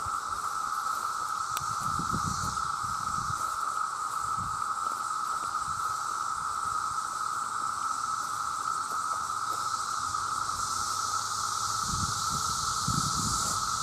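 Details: Millions of male cicadas call for mates in a deafening chorus. A flat, sustained buzz runs unbroken, a brighter high hiss swells near the end, and scattered low rustles come and go.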